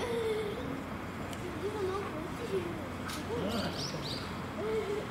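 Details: A chimpanzee at Tennoji Zoo gives short, hollow hoots that rise and fall over background murmur; the reason is unclear: threat, territory or attracting the opposite sex.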